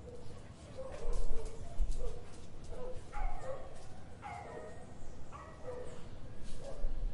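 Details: Dog in an urban garden in Brazil giving a series of short, harsh barks, about one each second, with some rising yelping notes over a constant low hum of vehicles and outdoor ambience.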